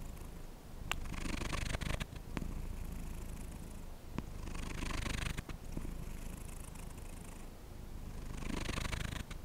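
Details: Domestic cat purring up close, a steady low rumble about 214 pulses a minute, with airy broadband swells from its breathing recurring every couple of seconds.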